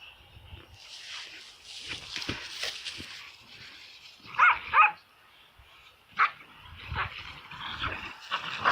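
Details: Excited dogs go wild indoors. Soft, scattered noise gives way to two sharp, tonal yelping barks near the middle, one more short bark, then rising whimpery whines toward the end.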